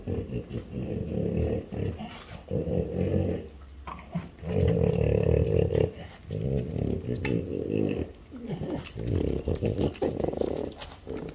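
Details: Two French Bulldogs, mother and daughter aged five and four, growl while eating chicken breast; repeated bouts of deep, rough rumbling growls lasting a second or two each, separated by brief quieter gaps with snuffling.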